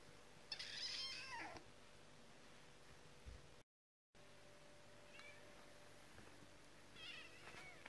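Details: Kitten meowing indoors with short, high squeaky cries. A cluster of them comes early, followed by a brief dropout, then fainter thin rising and falling mews near the end over a steady low hum.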